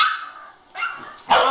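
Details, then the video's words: Puppy barks: three short, bright bark bursts spaced apart by brief pauses, the last one loudest and sharpest. "Cute puppies barking and talking"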